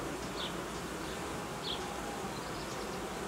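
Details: Managed honey bee colony being reorganised, possibly split into new colonies with young queens; a steady massed buzz, with two short high chirps rising above it.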